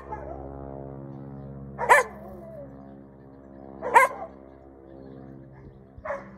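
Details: On ANZAC Day, April 25, 2023, in a Kingscote yard on Kangaroo Island, a female Koolie collie trained to bark at aircraft sounds off at a passing biplane: three single barks about two seconds apart against a constant low engine hum.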